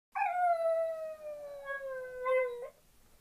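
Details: Kenzie, a West Highland White Terrier, howling like a wolf: one long, steady, tonal howl lasting about two and a half seconds that slowly drifts downward in pitch, with a slight lift near the end before stopping abruptly.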